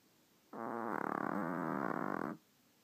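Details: Monte, a dog, snoring while asleep: one steady, buzzy, rattling snore that sounds like a fart and lasts nearly two seconds, in a quiet room.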